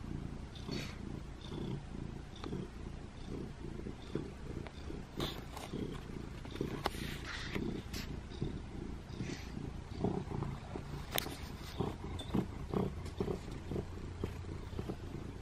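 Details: In a bathroom, pet cat Butters purrs while asking for affection: a low, rhythmic, throaty drone pulsing steadily throughout, with occasional clicks and rustles.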